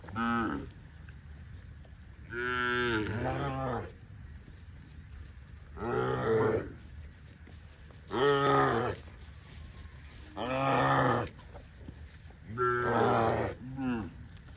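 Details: Dozens of tame cows running in green grass rice fields on a cattle farm; several drawn-out harmonic moos, each about a second long, spaced a few seconds apart, over a steady background hiss.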